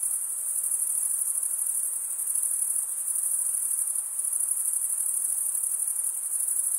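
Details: Stridulating crickets produce a continuous shrill, high-pitched ringing with a fine rapid pulse, steady from start to finish with small swells in loudness, in an otherwise quiet background.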